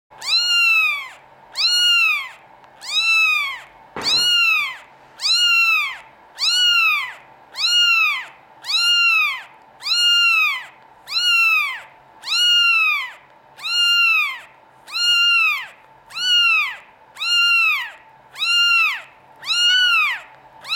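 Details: A European-line Norwegian Forest Cat kitten from a cattery gives high, arched mews, one roughly every second and very steady.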